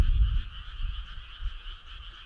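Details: Frogs calling on a summer night: a steady, dense chorus of pulsing, trilled notes at two stacked pitches, held without pause, over a loud low rumble that swells in bursts.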